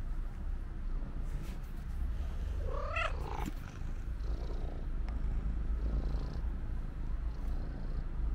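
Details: Female black-and-white stray cat, waiting at her usual spot, meows on seeing the person who feeds her: a single rising, harmonic meow midway through, over a steady low rumble of outdoor background noise.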